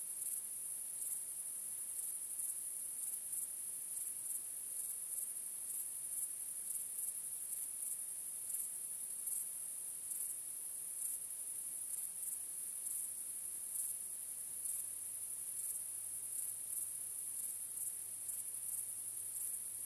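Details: Crickets at night, a starlit nocturnal chorus: high, constant trilling with emphatic chirps recurring about once a second across the whole stretch, plus a faint low hum late on.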